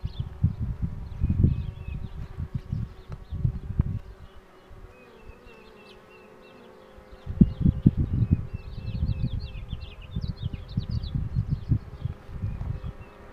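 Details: Honey bees buzzing around a queen box being pulled, a continuous low hum with a faint wavering tone, many small bird chirps overhead, and repeated clusters of knocking and rustling throughout.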